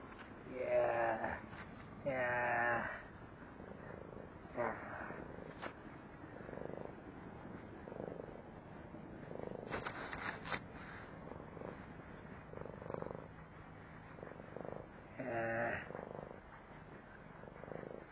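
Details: Stray street cat getting a belly massage after being fed, giving a few short harmonic meows near the start and again later, with soft low purring and rustling in between.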